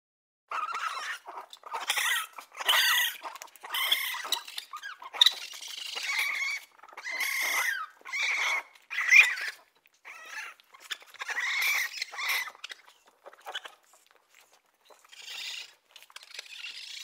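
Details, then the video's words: Raccoon giving squeaky, whining calls in short bursts, some with a rising and falling tonal whistle, broken by brief silences. "Raccoon sounds | The amazing sounds of raccoons | As the raccoon says"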